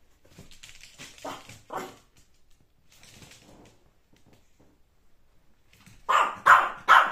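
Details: A Yorkshire Terrier, wary of a kitten in a basket, makes soft yips and muffled sounds indoors, then three loud sharp barks in quick succession near the end.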